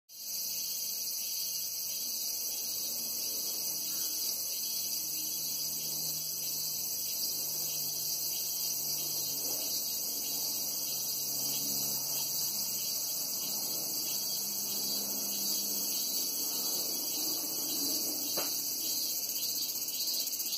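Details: Cicadas calling in August 2017: a dense, unbroken, high-pitched shrill drone held at steady loudness throughout, with a faint low rumble underneath.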